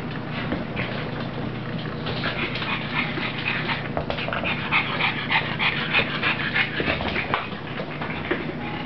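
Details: Puppy named Rosie playing with its mother, breathy noisy bursts coming fast and unevenly, about three per second, over a steady low hum, with a few louder scuffling rustles toward the end.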